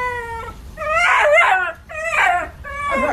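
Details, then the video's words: During a dog wash, a Shiba Inu lets out a steady whine followed by three loud, warbling, wavering screams in quick succession, each breaking and sliding in pitch. "Dramatic Shiba Screaming During Dog Wash"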